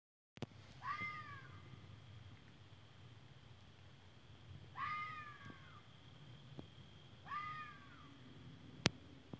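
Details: Fox calling: three drawn-out, harmonic cries that rise briefly then slide downward, spaced about three seconds apart, over a low background hum, with a sharp click near the end.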